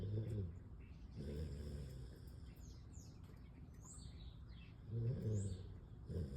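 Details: Siberian Husky Kaja asleep and snoring in deep, rasping low pulses, four of them across the stretch. Thin, high bird chirps sound faintly in the pause between snores.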